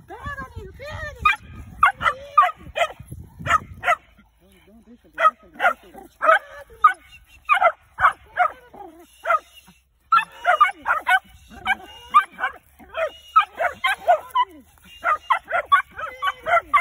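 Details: Dog being trained to hunt tegu lizards, giving quick bursts of sharp, high yelping barks in rapid runs with short pauses between; a man's voice talks over the first few seconds.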